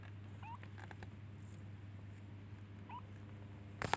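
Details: Baby kitten looking for and calling its mother by meowing; two short, thin, upward-sliding mews about two and a half seconds apart over a steady low hum, ending with a sharp clatter.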